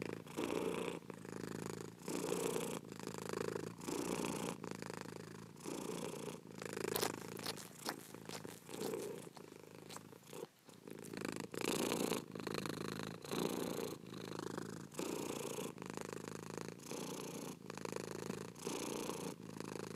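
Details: Purring house cat, a continuous throaty rumble that swells and dips with each breath roughly every second, with a patch of crackly, scratchy noise in the middle.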